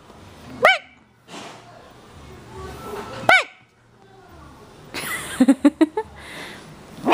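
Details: Chihuahua puppy Marcus, three and a half months old, plays energetically at home. Two sharp, high, rising-falling yips come about three seconds apart, followed by quick clattering knocks and rustling.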